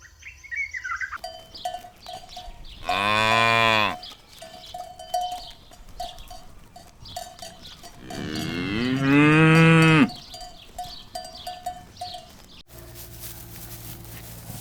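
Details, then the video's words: Cows lined up searching for food across a green meadow pasture; two long, deep moos about six seconds apart, the second sliding upward, over constant cowbell clanking and ringing. "Sounds of cows mooing"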